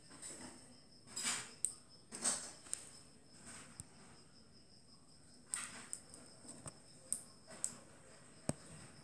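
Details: Click beetle of the family Elateridae making sharp, dry broadband clicks at irregular intervals, several isolated snaps mixed with softer rustling bursts, over a quiet background with a faint steady high-pitched whine.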